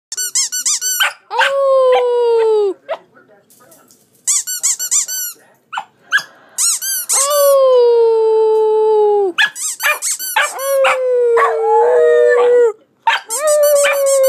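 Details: A young female Australian Cattle Dog puppy in her play pen howls in long, wavering notes, sliding down at the end of each; she was trained to howl when her squeaky ice cream toy is squeezed.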